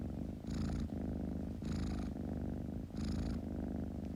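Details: Close, loud kitten purr: a continuous buzzing rumble with three airy inhale surges spaced about a second apart.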